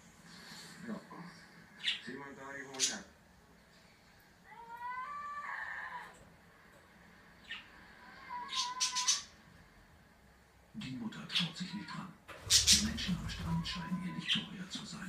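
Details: An English Bulldog howls in wavering, rising tones, trading calls with a seal, with birds also heard.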